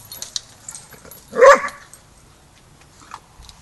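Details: A single sharp bark from a dog at Border Collie Boot Camp, where the young pup Rammstein meets the pack for his first lesson in pack etiquette; faint rustles before and after.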